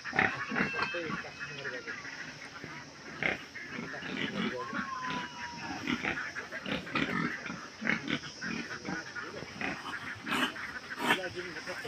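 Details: Piglet making rough, scratchy grunts and short squeals in irregular bursts, mixed with people talking nearby and a brief whistled tone partway through.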